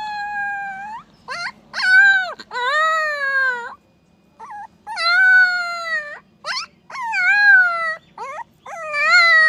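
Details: Puppy howling in clear, high, drawn-out notes that rise and then sag, broken by brief yelps and one pause of about a second before the calls resume.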